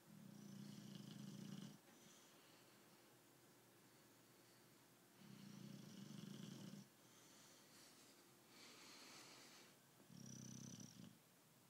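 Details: Tyson the British Bulldog sleeps indoors and snores steadily: three rumbling, fluttering breaths, each lasting about one and a half seconds and spaced roughly four seconds apart, with softer wheezy breathing between them.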